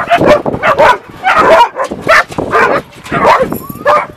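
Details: A dog's excited greeting: loud, closely spaced barks and yips, roughly two per second, some rising into whine-like tones near the end.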